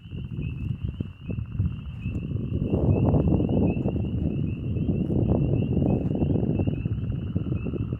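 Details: A dense chorus of northern leopard frogs calls from Skinner's Marsh near Shallow Lake on a warm early-spring night at 9 degrees, giving low, rattling snores and chuckles over a steady high trill, with one calling close by.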